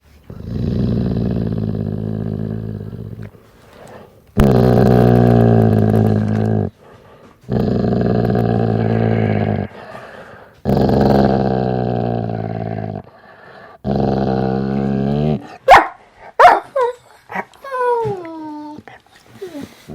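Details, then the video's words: Dog growling in five long, low rumbling bursts of two to three seconds each, separated by short pauses, then a few brief high whining yelps near the end. "Dog growling"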